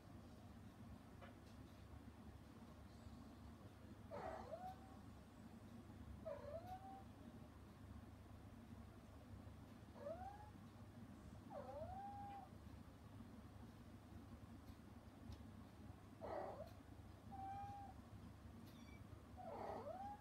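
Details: Rescued mother cat Hana, put out for interfering as her kittens eat weaning food, meows toward them in slow pairs and singles every few seconds, short bent calls ending in level tails, over a constant low rumble.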